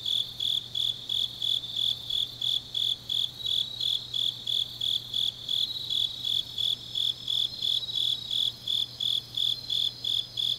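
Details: Grass insects of a deep autumn night in Changnyeong, Gyeongnam: rhythmic high chirping near three pulses a second blending with a steady shimmering chorus of other insects, a low hum beneath.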